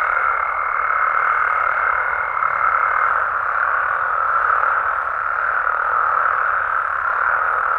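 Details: Frogs and toads calling at night in their natural habitat in Mexico: a dense, unbroken chorus with a thin steady whistle-like tone riding above it for the first three seconds, then fading out.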